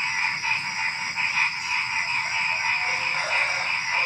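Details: Frogs and crickets fill the night before dawn: throbbing croaks pulse steadily through a thick chorus, layered over a level, high insect ringing with no other sounds.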